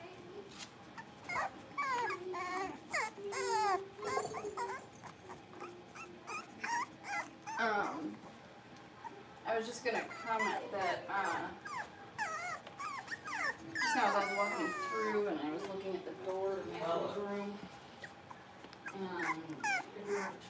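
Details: Blenheim Cavalier King Charles Spaniel puppies, a litter of five born at New Year's, playing and barking in an indoor puppy pen; bursts of high, sliding yips and squealing whines come in clusters, with scratching, clicks and shuffling between them.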